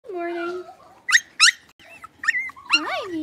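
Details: Blenheim Cavalier King Charles Spaniel puppies from a litter of five in an indoor puppy pen: a steady whine opens, then sharp high yips in quick pairs, and a wavering rising-falling whine closes.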